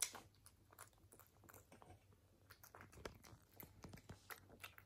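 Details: Close-miked British Shorthair cat chewing indoors, ASMR style: bright crackling crunches in uneven bursts, some heavier bites, a low steady hum behind.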